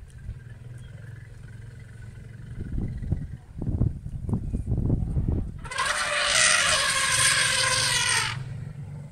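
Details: African elephants with young, heading for water and clearly very unhappy that African wild dogs are there, chase them with a loud, harsh, blaring call after low thumps and rumbles.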